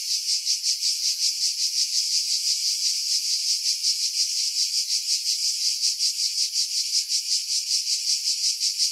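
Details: July chorus of cicadas in seaside pines at Pefkos Bay on Skiros, Greece, recorded in 2018 with a camera and external mic; loud, high, rasping buzz throbbing in regular pulses nearly three per second.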